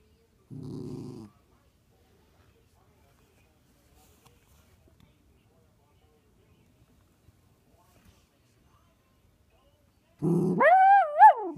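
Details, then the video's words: Six-month-old miniature poodle puppy playing peek-a-boo: a short low buzzy growl near the start, a long near-silent pause with faint rustles, then a loud wavering whine that rises and falls at the end. "Peek-a-Boo with Miniature Poodle Puppy"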